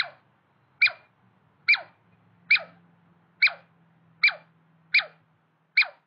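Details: A territorial clash between a male and a female Douglas squirrel. Evenly spaced, high, down-sweeping chirps come roughly once a second, with a soft low drone in the background.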